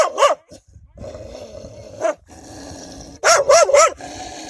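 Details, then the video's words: Wild dogs defending their pups: a short double bark at the start, a single bark near two seconds, then a fast volley of three harsh barks, over continuous background noise. "كلاب برّية تدافع عن صغارها بصوت نباح قوي ومرعب!"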